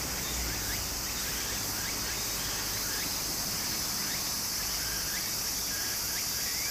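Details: Cicadas in summer beside a flowing stream in Japan: a steady, dense, high-pitched buzzing drone fills the clip, with short rising chirps repeating about once a second over the soft rush of running water.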